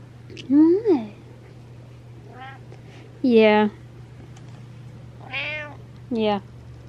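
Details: Indoor house cat calling for attention at night with a run of five meows, some rising then falling, loud and quiet in turn, spaced irregularly over several seconds over a faint steady hum.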